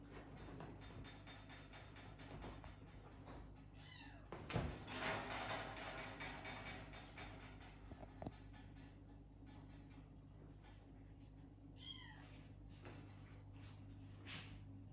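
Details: Cats kept indoors, the parents watching their sleeping kittens from afar; a short harmonic meow near four seconds and another near twelve, with a run of rhythmic rustling and knocking between, over a steady low hum.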